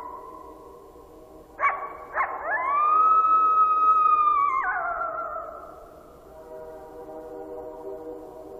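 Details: Coyote howling at a train: two quick rising yelps, then a long, steady, high howl that slides downward and fades, set against low, sustained, horn-like train tones that continue underneath.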